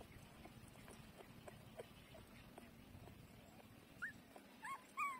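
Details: Seven-day-old puppies nursing, eyes still closed, sniffing to find the teats; after a low steady murmur, a few short high rising whimpers come near the end, the last pair louder and bending downward.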